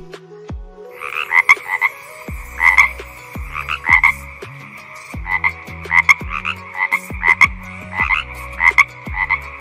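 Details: Rasping, pulsed frog croaks begin after a second of low hum and repeat in quick clusters of two or three notes, with soft falling plops and a steady low drone behind.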